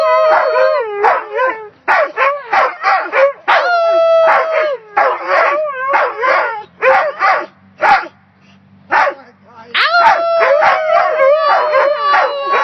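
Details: A wolf hybrid at a dog park, howling alongside a husky, howls in a high, wavering voice, breaking into quick yips between longer drawn-out notes.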